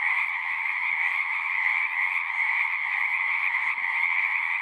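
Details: Frog chorus from a pond in a horse pasture, Zoom 6 recording; countless voices merge into an even, buzzing trill in a high register, with slight flickers of individual calls.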